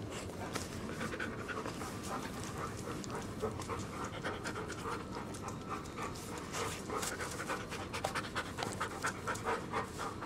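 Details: Big family dogs, among them Nami, a one-year-old Siberian Husky, and seven-year-old mutts Duke and Duchess, panting: fast, breathy rasping bursts repeated steadily throughout, with faint background hiss.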